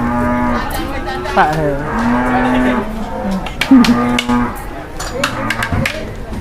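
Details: Cattle on their first trip to a market in Indonesia, startled and raging, give a run of low, steady moos, several held for about a second, with people talking and crowd noise around them.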